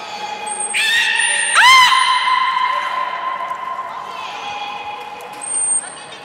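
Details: Nana, a beluga at Port of Nagoya Public Aquarium, being trained on 13 April 2019. Rising, harmonic squeaks swoop upward into long, steady tones. Brief high whistle notes recur, with faint voices and indoor echo behind.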